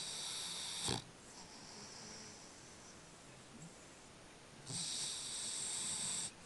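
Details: Sleeping French Bulldog snoring indoors: a sharp snort near the start, quieter rasping breaths, then a long, loud, hissing wheezy snore over a couple of seconds toward the end.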